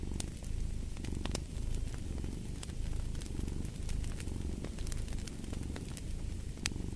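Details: Steady low purr of a cat, pulsing in gentle waves with its breathing, while a fireplace pops and crackles with scattered bright clicks.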